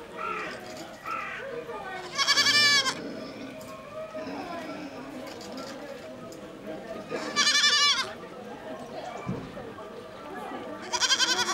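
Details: A two-month-old kid goat at Tobu Zoo in Japan cries with loud, wavering, nasal bleats, three in all, spaced about four to five seconds apart, over steady background chatter and crowd noise.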